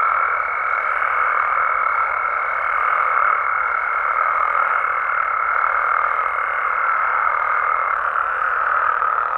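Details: Dense nocturnal frog chorus in Mexico, an even, continuous blend of croaking voices, topped for most of the stretch by a thin, level high-pitched tone that ends shortly before the close while the frogs continue.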